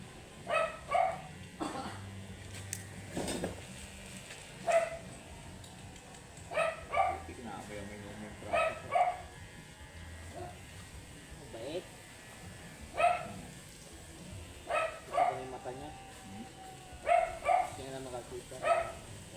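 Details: Angry, matted Shih Tzu during grooming gives short, sharp yipping barks in irregular bursts, roughly a dozen over twenty seconds, sometimes doubled, over a low steady hum with occasional human voices.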